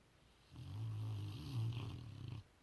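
A Rottweiler snores with a deep, rumbling rasp that swells and holds for about two seconds.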